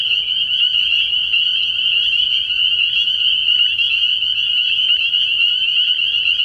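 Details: Night chorus of numerous spring peepers at a frogpond early in the year: piercing, tightly overlapping peeps form a continuous shrill drone throughout, with no other clear sounds.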